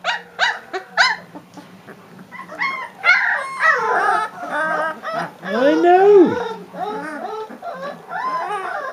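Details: Several three-week-old Leonberger puppies whimpering and squealing: high, wavering whines and short yelps overlapping one another, some sliding up and down in pitch, a few louder cries near the middle, with faint human voices underneath.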